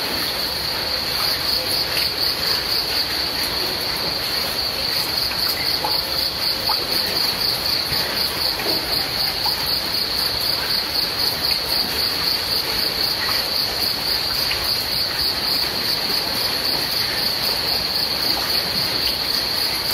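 Crickets trill in a steady, high-pitched pulsing chorus over the soft hiss of falling rain.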